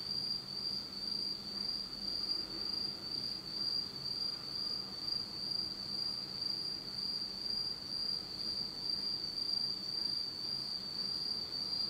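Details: Japanese autumn insects singing in pitch darkness: one bright, steady high trill runs the whole time, its volume wavering in soft regular pulses roughly every half second.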